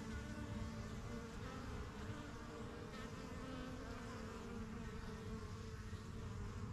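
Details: Honey bees swarming around the entrance of a new backyard hive from spring 2023, the yellow box and strongest colony; an even, rich buzzing drone with layered tones and no pauses.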